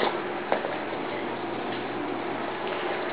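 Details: Dense indoor noise is heard, with irregular ticking clicks and thumps of movement repeating about twice a second.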